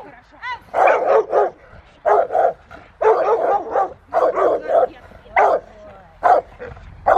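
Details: Rottweiler named Willie v Schwarzerwald barking in the rain during a December session with a helper at Victoria Rottweiler Club; loud broadband barks come in bursts of two or three, with pauses between groups.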